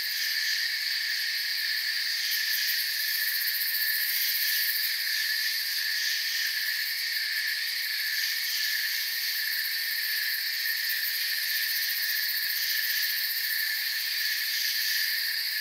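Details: Chorus of crickets as forest ambience: steady, high, layered trilling without pauses, a faint rapid ticking texture on top, level and even from start to finish.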